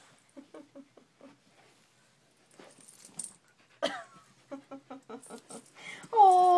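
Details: Female corgi stuck in her owner's shirt sleeve and unable to get out, appearing to have had enough: soft, short, high whimpers in small clusters, indoors, with a woman's voice speaking over them.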